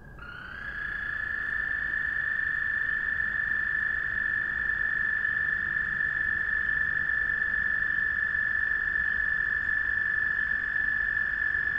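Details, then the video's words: Frogs calling to one another at night. One continuous, high, steady trill rises slightly at the onset, then holds unbroken at an even pitch for the whole stretch. There is no other clear sound. "Frog Trilling"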